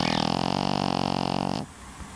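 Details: Snoring Pekingese giving one steady, rattling snore lasting about one and a half seconds, with a dense buzzy pulse throughout, fading into quiet room tone.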